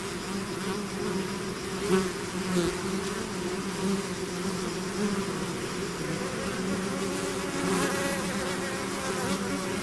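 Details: Natural buzzing of a bee swarm emerging from its hive: a steady, rich hum with rising and falling pitch as individual bees dart near, several close fly-bys around two and eight seconds.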